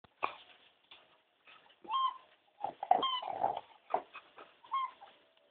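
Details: Corgi wanting a blackberry, taking a rough approach: a run of short, whiny, grumbling vocalizations, each a tonal bend rising and falling, spaced about a second apart with quiet gaps, in a quiet indoor setting.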